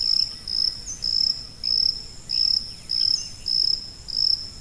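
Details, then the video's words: Shrill high cricket chirps, played as tinnitus masking sound for calm and sleep: seven or so evenly spaced pulsed bursts in quick succession, each fading slightly, with faint background hiss. "고주파_귀뚜라미3 / High-Frequency_Cricket3"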